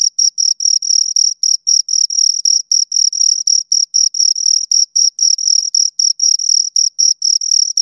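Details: Two crickets give fast, piercing chirps in clustered runs of several pulses separated by short pauses, high and rhythmic, with nothing else audible.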